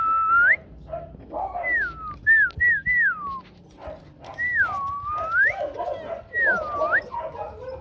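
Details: Whining from a litter of four Rottweiler puppies, mother Hanna Gervi, two males and two females, on the day buyers pick pups in 2024. Looping whistled cries sweep down then up again, spaced by soft mid-pitched murmurs.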